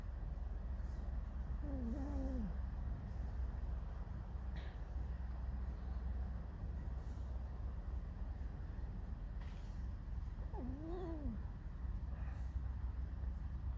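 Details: Irritated fox Alisa gives two short squeaky whines several seconds apart. Each is a quick, bent, downward-sliding note. Steady low rumbling background noise runs throughout.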